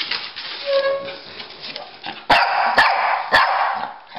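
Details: Two dogs, a Pekingese and a Bulldog, romping in a game of chase; three sharp barks spaced about half a second apart follow a quieter, whiny opening.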